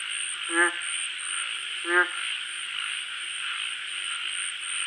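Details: Frog calling at night: two short, nasal, buzzy croaks about a second and a half apart, over a steady high-pitched hum of night insects.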